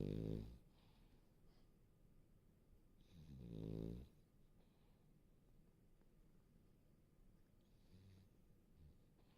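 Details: Sleeping French Bulldog, warm and cozy indoors, snoring: two loud, low, rasping snores near the start and around four seconds, separated by quiet breathing, with a faint third snore near the end.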